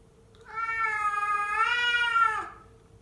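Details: Rough, drawn-out yowl from one of two male house cats in a fight, one of them white and fluffy; the harmonic wail holds for about two seconds, swelling in pitch midway before sliding down, with a steady low hum behind.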